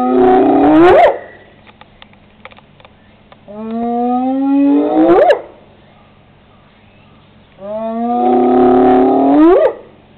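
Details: A spotted hyena, also called the laughing hyena, recorded 8/17/10, gives three long, rising whoops, each starting low and sweeping sharply upward at the end; described as a rare growl.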